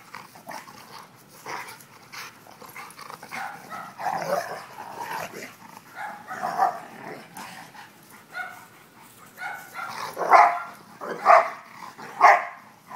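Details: Dogs having fun, giving a series of short barks that grow louder toward the end, three strong ones about a second apart near the close, over lower yips and scuffling noise.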